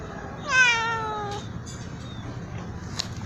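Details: Loud meowing from a black cat: a single clear, drawn-out meow that slides gently downward and lasts about a second, with steady background hiss and faint knocks afterward.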